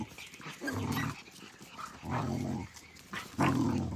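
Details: Australian Cattle Dog (Blue Heeler) puppies playing, with low, rough growling bursts in three spells and a sharper yap near the end over a noisy background.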